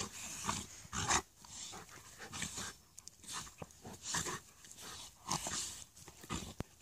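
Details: An Alaskan Malamute and a Husky play-fight indoors: rough, breathy growls and huffing pants come in short noisy bursts about every second, with a few sharper yips among the scuffling.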